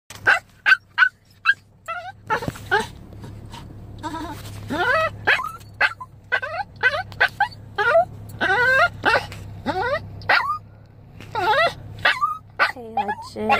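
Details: Seven-year-old Chihuahua crying for his dog mom like a puppy: rapid series of short, high, sharply bent yelps and whines, bursts clustered and irregular, over a steady low electrical hum.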